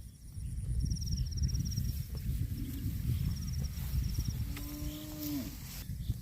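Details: Cattle eating grass give a short, level, droning moo of about one second near the end, over a steady low rumble, with faint repeated high ticking in the background.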